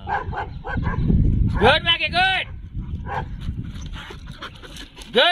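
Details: Dog at a dog hostel and pet care centre in Jodhpur, recorded 27/5/22: a pair of high, arching, yelping barks in the middle and one more at the end, over human voices and background music.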